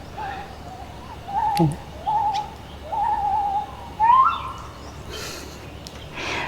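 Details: Gibbon calling in the morning outside a room at a floating raft resort on Cheow Lan reservoir, Surat Thani, Thailand, with birdsong around; clear, level hooting tones repeated roughly every second, the last one sliding higher, faint bird notes behind.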